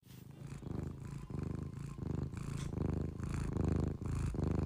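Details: A sleeping cat snoring, with deep, rumbling, pulsed breaths that swell and fade in quick succession, and a faint steady high whine in the background.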